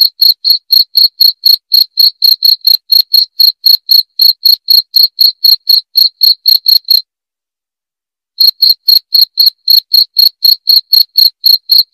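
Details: Cricket chirping loud and clear: short, sharp high-pitched pulses repeated about four times per second in a steady run, broken by a silent pause of over a second near the end before the chirps resume.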